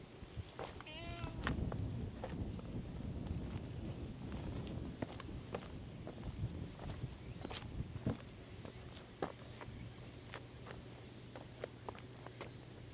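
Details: A cat that had been sleeping on top of tetrapod breakwater blocks wakes and comes out to be petted. It gives one short meow near the start, followed by rustling, footstep-like taps and handling clicks over low background hum.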